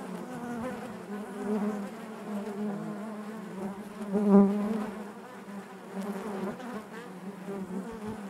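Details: A colony of honey bees droning inside their hive, a deep even hum with rippling overtones, one bee buzzing loudly close by just past the midpoint, then the murmur settles back.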